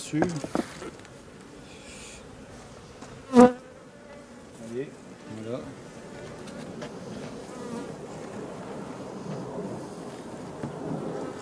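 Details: Honey bees of a drone-laying hive, shaken from their frames away from the apiary. A sharp knock, then a few short passing buzzes over a soft, continuous swarm hum.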